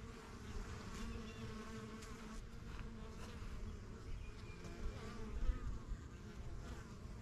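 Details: Honey bees swarming the entrance of a backyard yellow hive, strongest of a first set begun in spring 2023: low even hum of wingbeats, one bee droning close and loud near the end, faint distant bird chirps.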